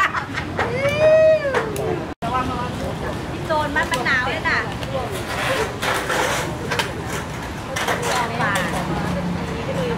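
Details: Female Shih Tzu, fallen about three metres into the Huai Mak Khaeng drainage canal by the bridge at Wat Matchimawat, Udon Thani, Thailand, hungry and crying for help in February. A loud, drawn-out arching whine opens, followed by human voices and traffic.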